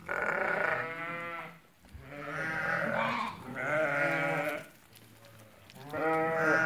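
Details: Sheep, eighty ewes that have given birth, for sale at Fkih Ben Salah: four strong, trembling bleats in steady succession, each about a second long, separated by brief quiet gaps.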